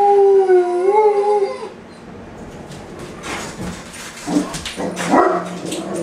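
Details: A Great Dane, left alone at home and missing its owner, howls in a long wavering tone that rises and falls for almost two seconds, then gives softer whimpering and yipping sounds amid indoor background hiss.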